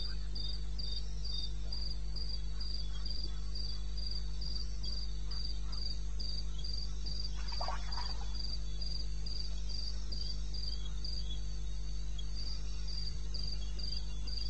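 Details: Night-time cricket in eastern Botswana's wilderness, recorded 21 May at 2:30 am. Rapid, regular high-pitched pulses continue steadily, with a brief soft rustle midway and a low hum beneath throughout.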